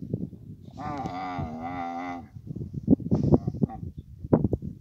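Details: Camel in Abu Dhabi during the mating season, giving one long, steady, deep moaning call, followed by rough thumping and handling noises.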